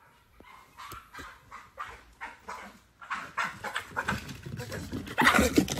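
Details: Pit bull screaming in excitement to go swimming: a run of sharp, high, strained yelps and screams repeated about three times a second, growing louder and denser toward the end.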